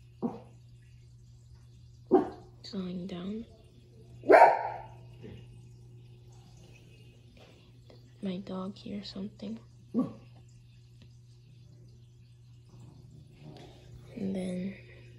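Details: Shih Tzu dog playing and showing tricks, giving a few short, sharp barks at scattered moments, interleaved with human talking over a steady low electrical hum.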